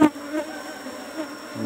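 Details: Asian honey bee (Apis cerana) colony in a beekeeping box during honey harvest, brood comb exposed; a low continuous hum of many bees, with brief knocks at start and end.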